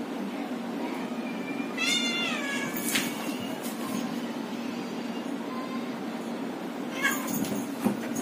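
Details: Adopted domestic cat at play: one drawn-out, wavering meow near two seconds, harmonic and slightly falling, then a brief squeak near seven seconds, over a constant low hum, with women's voices speaking Hindi around it.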